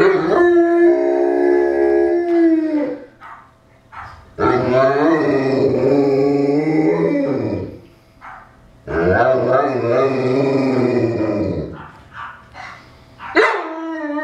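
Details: Three long, wavering howls from a Newfoundland dog, with brief breaths and short yelps between them. The sound is layered and slightly rough, with a final sharp rising cry at the end.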